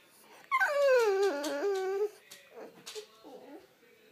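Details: French Bulldog waking its owner gives one long drawn-out whining howl, starting high and sliding down into a wavering lower tone for about a second and a half, followed by quieter soft grumbles.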